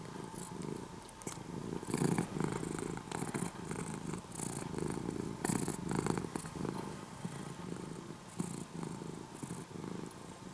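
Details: Former stray kitten, now an orange-and-white near-house cat, purring contentedly in the morning. A loud, rhythmic purr pulses in repeated inhale-exhale cycles across the whole stretch, with soft breathy hiss above.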